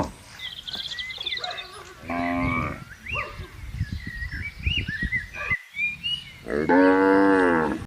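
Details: Tame cattle in a herd roaming freely and grazing in a large green plantation; two long, loud harmonic moos, one near the two-second mark and one at the end, with small birds chirping high in the background.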